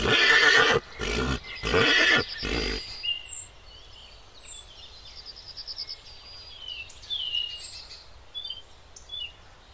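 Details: Zebra in Kruger National Park, South Africa; a run of harsh, broadband barking bursts repeated quickly for about three seconds, then quiet with high, thin bird chirps scattered over the rest.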